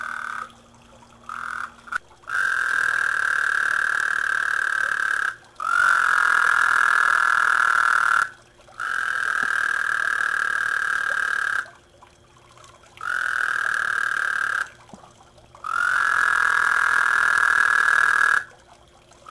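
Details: Frogs attracted to a small garden pond croak, showing their bubbles, in long, steady, buzzing trills of several seconds each with brief pauses between.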